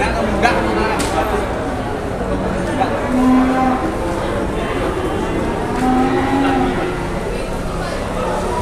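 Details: Giant cow arrives at Pasar Jelok cattle market, Boyolali, Indonesia: two short, low, steady moos around the third and sixth seconds, set against a dense background of crowd noise and people talking.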